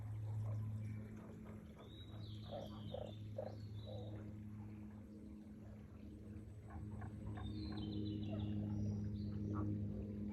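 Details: Frogs calling at Aoba no Mori green space, dated 4/5/2024: a short run of rapid, evenly spaced croaking pulses, then another stretch of croaks later, over a steady low hum, with thin whistled bird notes above.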